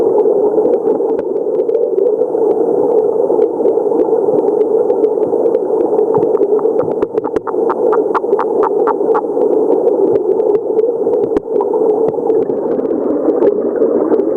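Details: A stream brown frog (Rana sakuraii) in the Hokuriku region of Japan, 2022, calling alone with no other frogs near. A quick series of clipped pulses rises out of steady rushing noise midway, then fades back to the rush.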